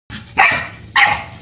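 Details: Excited, energetic one-year-old cream Labrador Retriever female gives two sharp, bright barks about half a second apart, each a short harmonic burst, with a faint low rumble between them.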